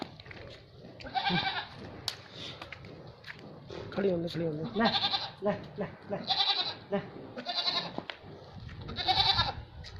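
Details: Barbari goats, two milking females, on a farm in Etawah, Uttar Pradesh: loud, high, harmonic bleats repeated about every one and a half to two seconds, some quavering, with men speaking between them.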